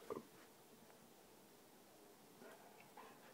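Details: A springer spaniel gives one short, sharp bark at a piece of hair on a curtain floating in the breeze, then the room goes quiet apart from faint shuffling.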